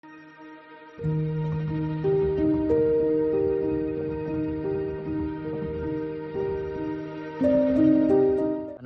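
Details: Gentle instrumental music with sustained melodic notes starts after a brief quiet moment, and no animal sound is present.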